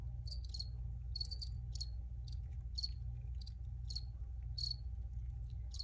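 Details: Chirping crickets: clustered high chirps, often in pairs, recurring roughly every half second, with a continuous low-pitched hum underneath.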